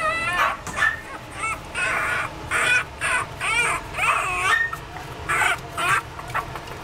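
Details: Chihuahua giving a run of high, harmonic yelps and whines that bend up and down in pitch, coming in short bursts about every half second, with softer hissy noise between calls.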